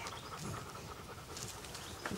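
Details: Anita, a German Shepherd, at play with an American Staffordshire Terrier puppy, filmed in 2008: fast, even breathy panting fills the short stretch as a continuous hissing rasp, with a brief louder huff near the end.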